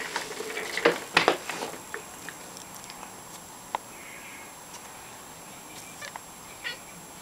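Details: Domestic cat reacting to a bird seen through a window, recorded 9 May 2016; a quick burst of short, harmonic meow-like chirps in the first two seconds, then near silence with a few faint clicks.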